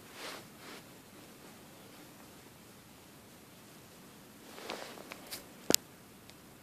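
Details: Near-silent room with soft rustles and one sharp click near the end; no animal voice.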